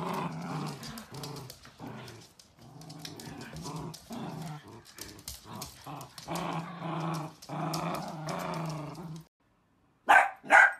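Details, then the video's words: Dachshund puppies playing growl in rough, low bursts for about nine seconds, then after a brief silence two high, sharp barks ring out. "Sausage dogs puppies Video compilation Funny Playful Cute video"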